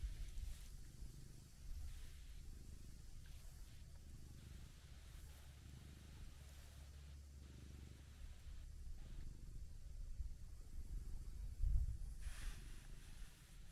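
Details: Orange tabby cat met on a walking path around a pond, relaxed while being petted; a steady low rumbling purr runs throughout, with soft rustling and outdoor background noise.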